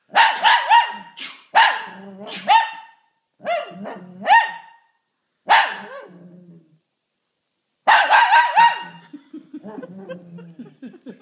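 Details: Domestic Shih Tzu set off by a sneeze, barking and howling; rapid strings of sharp barks follow one another, then a softer, trailing whine-like tail at the end, with a little background human sound.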